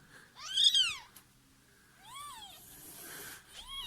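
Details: Mother cat in labour indoors, birthing kittens in a neighbour's house; a loud, bending meow is followed by two softer, shorter meows, with faint hissing noise between them.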